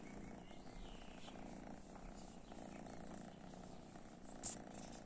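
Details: Cats exposed to cat weed indoors give a quiet, continuous low purr with a pulsing rumble, plus a short faint high squeak near the end against light room noise.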